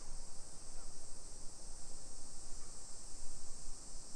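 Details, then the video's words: Cicadas singing on a summer afternoon, 28 July 2021 at 1 PM, in suburban Nisshin near Nagoya, Japan: an unbroken high, shrill buzz holds steady over a bed of low, uneven walking and traffic noise. "Summer Cicadas Sounds"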